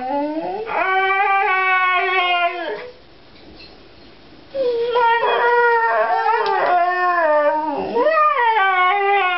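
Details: Two pet Siberian Huskies howl and 'talk' before a walk, voicing whenever someone enters the bathroom to ask for an outing. A long, smooth, rising then steady howl breaks off, then returns after a pause as wavering, overlapping howls.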